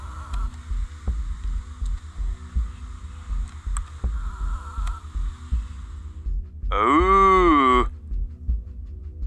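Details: Red stag during the rut, recorded on a hunt: a single loud, harmonic roar rising then falling, lasting about a second near the end, over constant low throbbing, droning background noise.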